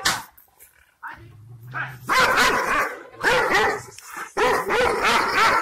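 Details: Aksaray Malaklı Kangal shepherd dogs in Turkey bark fiercely at strangers to guard their owner's property. A low growl comes first, then three loud bursts of fast, rough barking.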